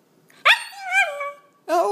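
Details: Excited pet Havanese greeting its owner as she arrives home, voicing a 'talking' call: a loud, sudden, bending yowl that drops and fades, then a second sharp rising bark-like note, with a woman speaking around it.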